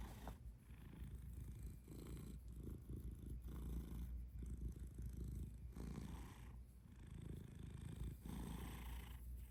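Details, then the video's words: Domestic cat purring steadily: a low, rumbling, continuous buzz with soft rhythmic swells as the cat breathes in and out, recorded close up indoors with no other clear sounds. "Purry Kisses"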